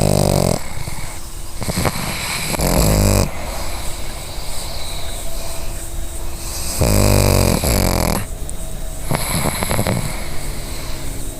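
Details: Sleeping pug snoring while dreaming, deep rasping low snores in bursts lasting a second or more, spaced a few seconds apart, over a steady tonal background hum.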